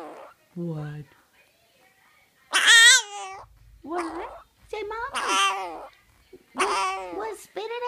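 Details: A tiny Boston Terrier puppy weighing 1 lb 4 oz and sick with an upper respiratory illness gives drawn-out, wavering, speech-like whines and yowls while its owner coaxes it to say "mama".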